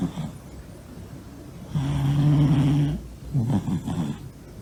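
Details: Sleeping Norwegian Forest Cat named Monta, a big male, lets out one sustained low humming snore lasting just over a second, followed by short rough breathy puffs and a quiet indoor background.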